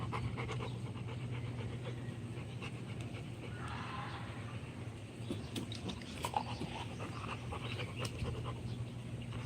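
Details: Rottweiler dog panting: a run of soft, breathy puffs in quick, even rhythm over a steady low hum, with a short rougher noisy patch partway through.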